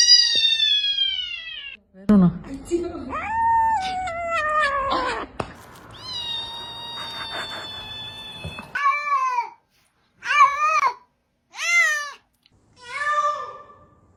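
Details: Unhappy domestic cat meowing repeatedly, with long drawn harmonic wails early on, then a run of four short separate meows with pauses between; a person speaks and a low hum is heard.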